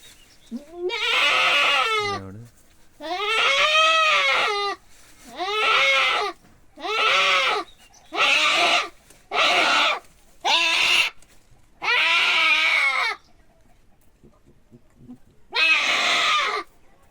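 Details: Billy goat being castrated: about nine loud, wavering, nasal bleats, each roughly one second long, separated by short pauses, with a last bleat after a longer gap; people talk in the background.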